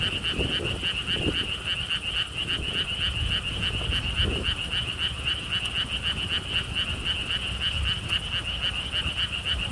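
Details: Frogs in chorus beside a stone wall path at a lotus park in Siheung, Korea: quick, regular buzzy croak pulses, about four per second, over low wind rumble and faint scattered thumps.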